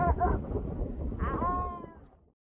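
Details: Newborn white, woolly grey seal pup with its mother on a beach on Texel, the Netherlands, washed off the sandbank by a weekend storm; short buzzy, harmonic wailing calls, slightly falling, over heavy rumbling wind.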